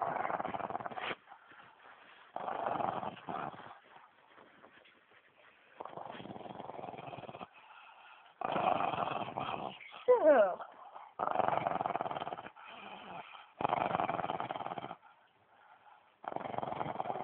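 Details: Pet dog snoring, then growling: rough, noisy rumbling bursts of one to two seconds with brief quiet gaps between them, and one short high whining squeak near the middle.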